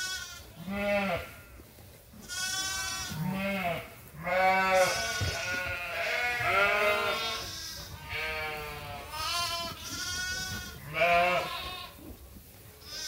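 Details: Many sheep and lambs at Ewetopia Farms calling at feeding time in lambing season: a near-continuous run of wavering bleats from several animals, one after another over thirteen seconds.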